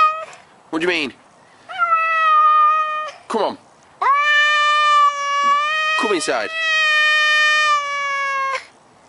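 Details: House cat calling in a series of long, level meows, each held a second or more, interspersed with quick falling squeaks.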